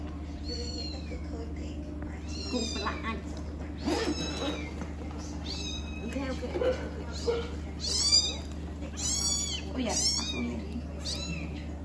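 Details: Newborn kittens rescued from the street, likely abandoned by their mother, being fed and settled to sleep; repeated high, shrill mews in bursts, several per second near the end, with a constant low hum and occasional speech.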